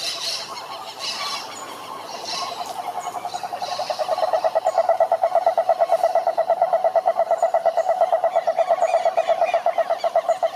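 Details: Chorus of several pond frogs: soft higher scratchy calls at first, then a loud, very regular train of pulsed croaks about three per second building and holding steady to the end.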